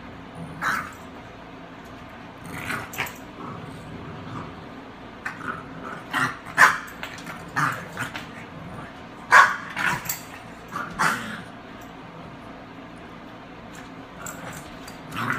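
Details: An English Springer Spaniel playing with a Boston Terrier; the dogs give short, sharp barks and low growls at irregular moments, with quiet gaps between bursts.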